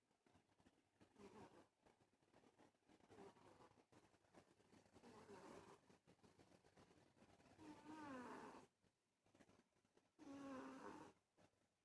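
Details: Domestic cat named Ollie Tamale snoring: soft, breathy rasping rising and falling roughly every two seconds, with two louder nasal, whistling snores near the end and quiet room background.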